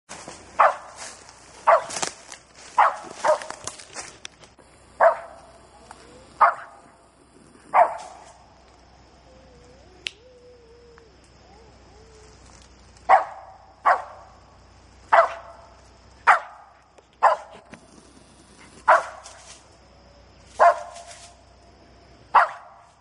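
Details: A nearly eight-month-old dog treeing a gray squirrel in South Georgia, having winded it from about forty yards: loud, sharp barks repeated roughly every second, pausing briefly midway, then resuming at a steady pace.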